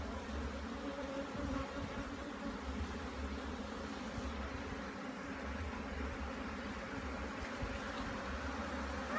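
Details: Steady, even drone of many bees at a hive being inspected in Jamaica, an unbroken low buzz with almost no other sounds.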